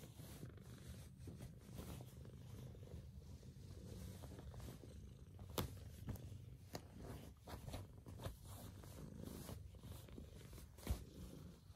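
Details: A Maine Coon cat purrs in a deep, steady, low rumble that throbs continuously while waking its owners; Maine Coon cat.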